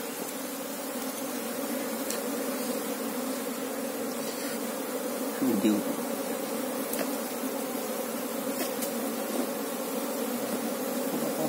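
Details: Colony of Asian honey bees, Apis cerana, droning steadily during a hunt for the queen bee; a continuous low layered hum, with a brief murmur of a man's voice near the middle and a few faint clicks.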